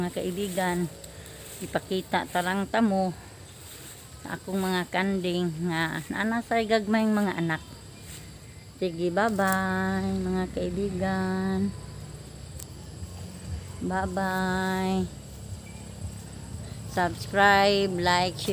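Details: Several goats bleat at supper time in a rural setting. Their quavering, shaky bleats follow one another in quick runs, some short and some drawn out, over a steady background of crickets and insects.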